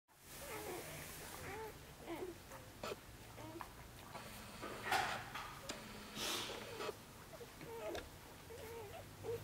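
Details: Six-day-old Korthals Griffon puppies from Djip's litter in the nest, a busy, fast-growing brood: faint, high squeaky whimpers rise and fall in a scattered overlapping chorus, with soft rustling and breathing underneath.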